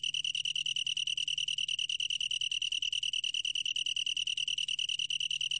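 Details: A long-tailed tree cricket, 2020 recording from Korea's National Institute of Biological Resources, sings an unbroken, ringing, evenly pulsed high-pitched trill at constant loudness, with only a faint low hum in the background.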